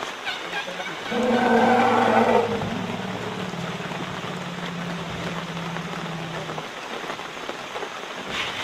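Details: A herd of Asian elephants (Elephas maximus) harassed by a tiger in Royal Belum State Park, Perak, Malaysia, gives a loud harsh call, then a long low steady agitated rumble, over hissing rain.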